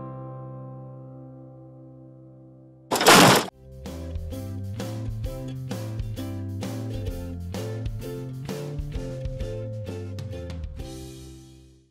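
Background music with a sharp crash near three seconds; no animal voice is heard.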